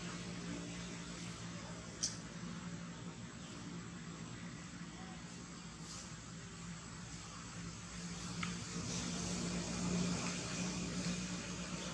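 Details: Steady vehicle and traffic rumble with faint distant voices and a passing aircraft; no animal sounds are heard.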